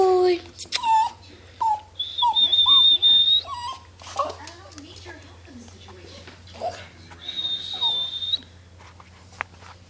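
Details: Dog reacting to high-pitched noises, giving several wavering, rising-then-falling whining cries early on while a steady shrill electronic tone sounds twice and a person talks throughout.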